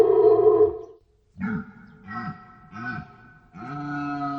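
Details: A loud deer bellow opens the recording, followed after a brief silence by three short arched grunting calls and then a longer sustained moan, all hoarse and deep.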